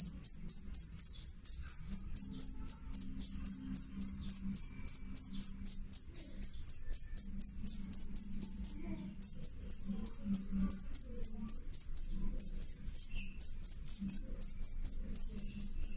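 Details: Loud, clear cricket song: rapid shrill high chirps, about four a second, with brief breaks near the middle and later on. Faint low murmurs sit underneath.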